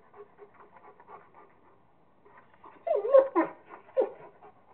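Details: Rottweiler named Kingston at play with a squirrel, breathing in quick, rhythmic pants that grow louder and rougher toward the end, with a few harsher gasps.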